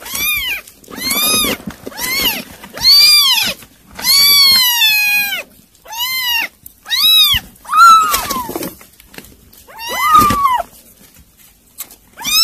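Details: A rapid series of insistent meows from kittens eating weaning food. Short arched cries follow one another almost continuously, with one longer wavering wail midway, over faint background noise.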